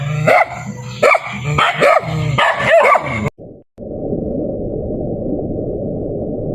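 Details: Dogs bark in a quick series of harsh barks for about three seconds, then the barking stops abruptly and a dull, muffled rushing noise follows.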